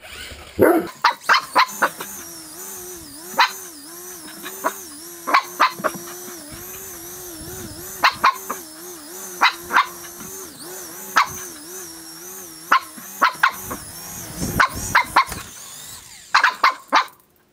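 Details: Great Dane barking while playing with a remote-control helicopter; sharp barks in bursts every second or so over the steady whine of the toy helicopter's rotor throughout.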